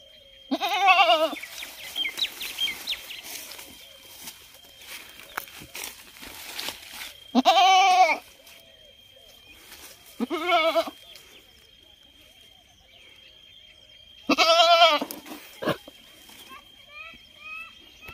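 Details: Goat bleating in four loud, wavering calls spaced a few seconds apart, each about half a second to a second long, over a quiet background with a steady high tone.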